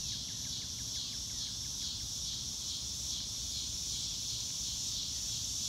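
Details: Loud, close cricket chorus recorded in real time on a blue-sky day: an unbroken piercing high trill throbbing in quick regular swells, with faint bird chirps early on and little low noise.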